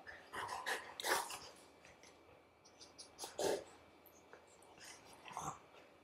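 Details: Golden Retriever puppy occupying its brother's bed and refusing to leave, giving short breathy snorts and rough grumbling bursts in uneven clusters, with quiet pauses between.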